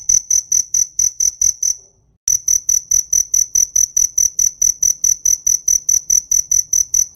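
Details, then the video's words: ['Piercing high cricket pulses tick along about four per second, stop for a moment, then restart with a sharp click and continue steadily.'] "TIẾNG DẾ KÊU"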